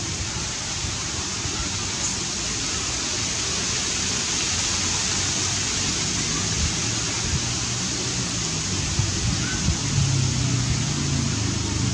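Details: Steady broadband rushing noise like rain or falling water fills the whole recording, with faint speech underneath and no clear animal call.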